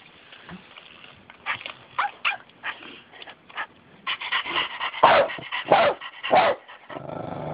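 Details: Jack, a pet dog, reacting after a child's toy puppy made a sound and scared him: soft scattered yips early, then three loud harmonic barks about half a second apart near the end, over a faint indoor hiss.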